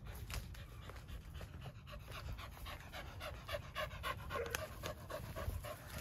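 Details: Dog panting at a fence, one of several dogs gathered outdoors: fast, rhythmic, breathy huffs, roughly three to four each second, keeping a steady pace from start to finish.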